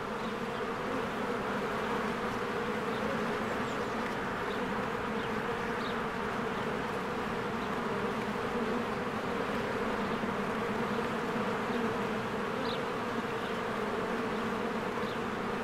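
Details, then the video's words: In spring, with trees greening, a swarm of honeybees flies in and out of the hive. A steady, unbroken buzz of countless wings, and distant birds chirp briefly a few times. "1 Hour of a Beehive ASMR"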